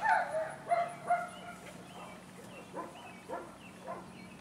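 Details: German Shepherd puppies, girls of a Fanto x Kappa import litter whelped May 17th, 2016, giving high, whiny yips: three loud harmonic cries in the first second, then softer, spaced yelps every half second over a steady low hum.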